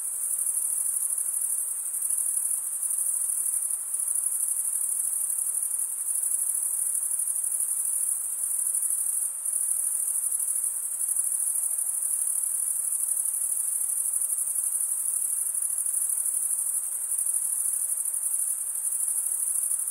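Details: Steady chorus of male crickets chirping by wing stridulation: a thin, very high, rapidly pulsing trill that never stops, over faint background noise.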